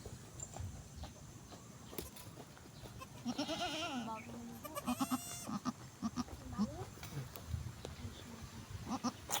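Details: Goat bleating after giving birth: two drawn-out, tremulous, harmonic-rich bleats in the middle, with human voices talking, handling noises and scattered thumps around them.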